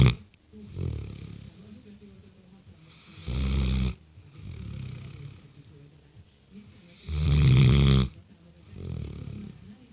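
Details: A six-month-old Great Dane snores while sleeping, with deep, rumbling breaths and loud bursts recurring every few seconds.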